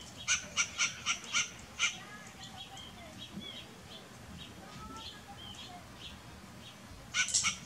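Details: A western grey squirrel gives a steady run of six sharp barks about a quarter second apart, then falls quiet amid soft chirps and whistles before a final cluster of barks near the end.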